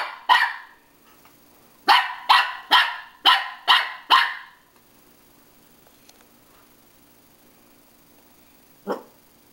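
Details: Dog Pippin confronting himself in a mirror: one sharp bark, a pause, then a rapid burst of six loud barks in about two seconds, followed by near silence and a single low thud-like sound at the end.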